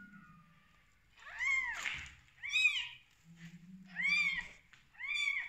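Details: Newborn domestic kittens on their first day of life after their mother gives birth, giving high, arched meows that rise and fall, several in quick succession with short gaps, over a faint low hum.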